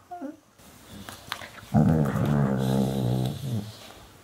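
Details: Two puppies, a black hound and a black retriever, play-fighting and biting each other's jaws; a low, rough, steady growl lasts about a second and a half after a few short clicks and scuffles, with a woman speaking Russian nearby.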